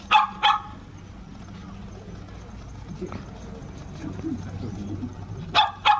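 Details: Toy Poodle puppies playing in a dog run: two sharp high yips at the start and two more at the end, with low murmuring and faint background noise between.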